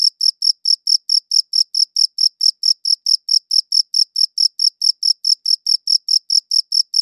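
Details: Steady chirping of a cricket captured on a good audio recorder: shrill, evenly spaced pulses, a little over two per second, running without pause; nothing else audible.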